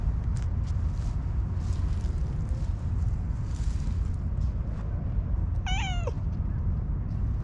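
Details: Orange tabby cat with a very cute voice, slow to warm up to people, giving one short, high meow that bends downward near the end, over steady low rumbling background noise.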